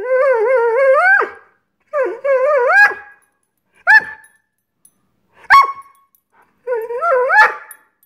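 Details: Greyhound Scott Free, impatient for dinner not yet served, gives long wavering whining moans that rise at the end, then single clipped yelps and another drawn-out rising whine.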